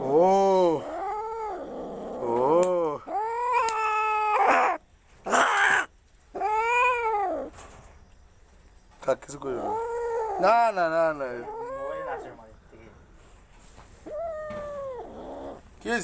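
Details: An angry cat gives drawn-out, rising-and-falling yowls and meows while a person speaks Bengali in between, mentioning treating the cat's itching with Dettol.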